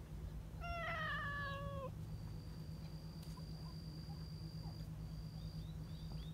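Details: One of a large, friendly group of affectionate community cats lets out a single drawn-out, slightly falling meow of about one second. A low steady hum runs beneath it, and a thin high whistle-like tone follows.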